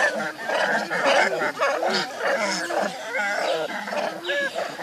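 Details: Baby monkey named Leo, hungry and missing its mother, crying to beg for milk; dense run of harsh, wavering harmonic squeals and arched whines, several overlapping, with chattering behind and no pause longer than a moment.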